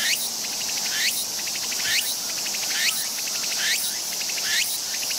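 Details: Walker's cicada (Meimuna opalifera) sings a shrill, rhythmic phrase of rapid pulses ending in a rising sweep, repeated about every second.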